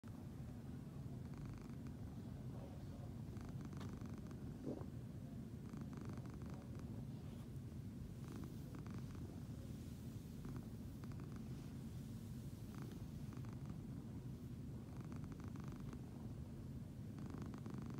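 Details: A Siamese cat (Felis catus) purrs in a low, steady, rumbling drone that continues throughout.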